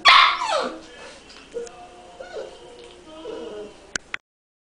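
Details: Shar-Pei puppy, confused, crying: a loud high whining burst at the start with upward-sweeping tones, then quieter short whimpers rising and falling, and two sharp clicks near the end.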